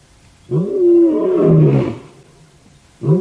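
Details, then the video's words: Male lion at sunrise on a safari, 19 September 2016, gives a loud, deep, drawn-out moaning roar lasting about one and a half seconds, followed by the start of another deep call. "Birmingham Male Gives us Loud Good Morning"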